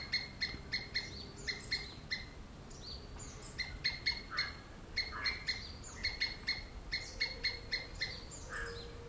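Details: Somewhat distant squirrel screaming: a regular train of sharp chips, bunched in short groups, with occasional downward-slurred rasps; a soft steady hum sits underneath.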